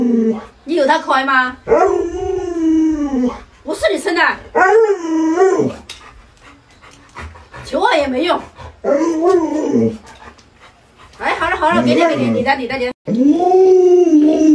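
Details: Pet Alaskan Malamute named Luoluo reacting while its owner wears a scary mask: a run of wavering, whining howls rising and falling in pitch, broken by short pauses, with human voices talking over parts of it.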